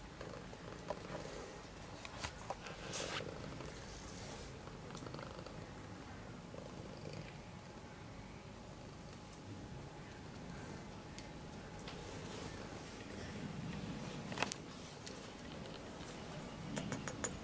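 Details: Cat living in an animal shelter in Germany, in a straw storage room, purring with a steady, soft, low rumble throughout, with a few faint clicks and a thin constant background hum.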